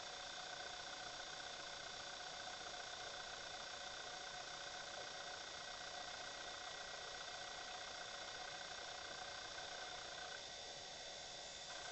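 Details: Only a steady broadband hiss with faint constant tones is heard, and no animal calls.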